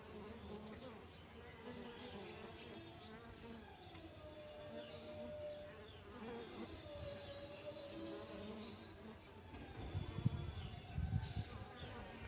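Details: Honey bees buzzing in the morning: a steady low hum with several wavering, sliding drone tones from passing bees, growing louder and rougher toward the end.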